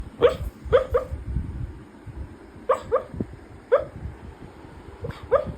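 A sleeping dog gives soft, muffled yips and whimpers in short bursts.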